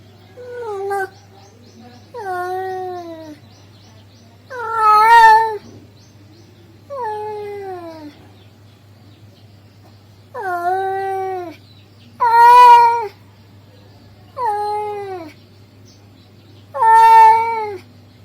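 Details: A male cat calling a female cat, repeating eight plaintive, harmonic meows, several loud and rough-edged, others falling in pitch, separated by short pauses over a low steady hum.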